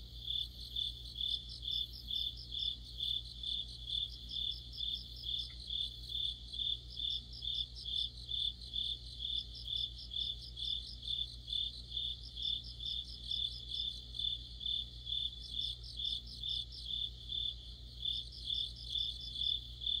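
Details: Autumn chorus of crickets and other insects near a streetlight: a steady high pulsing trill with regular chirps about twice per second, overlaid by bursts of faster higher chirp trains every few seconds, low hum beneath.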